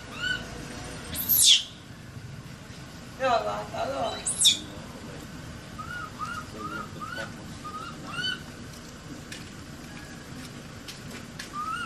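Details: Trapped baby monkey calling for help: one sharp shriek, a rough harsh burst, then another high scream, followed by a long run of soft repeated chirps in the background.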